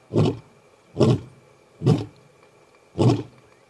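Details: A male lion at MalaMala Game Reserve, Africa, gives deep, grunting roars, about one per second, laying down a challenge to rival males.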